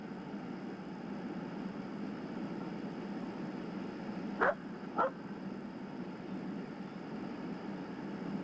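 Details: A coyote, typically 100–200 yards away after sensing a person, gives a warning bark howl: two sharp, harsh aggressive barks over a low hum, part of a series with fluctuating howls, alerting other coyotes that something is wrong.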